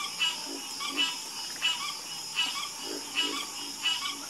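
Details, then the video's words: Frog croaking at night, loud rasping croaks repeated roughly every two-thirds of a second over a steady high hiss of background callers. "Sleep Like A Baby With The Calming Sound Of Harmonious Frog Croaking"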